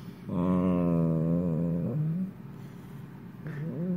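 An Italian greyhound snores with a low, droning, voiced rumble that lifts slightly in pitch at its end.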